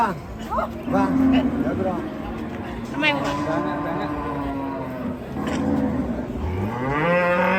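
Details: Angry cattle in Indonesia bellow loudly, several strong drawn-out moos with rich harmonics, some sweeping upward sharply, one ending with a rising groan near the close; faint voices in the background.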